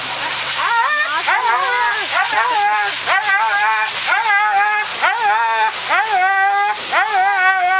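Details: Siberian Husky named Thunder, crying and howling while being groomed: wavering, rising-and-falling harmonic whines and howls come in quick, uneven bursts over a steady background hiss.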